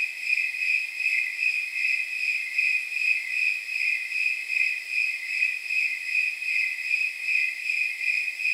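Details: Snowy tree crickets on a night estimated at around 79 degrees from their chirp rate, giving steady, high, jingle-bell-like chirps that repeat at even intervals, several per second, with a faint continuous hiss beneath.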